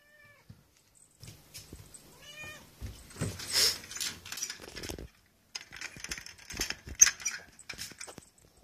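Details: A calico kitten, a Japanese cat, gives a few thin, high meows amid soft rubbing and rustling, greeting in the morning when its cage is opened.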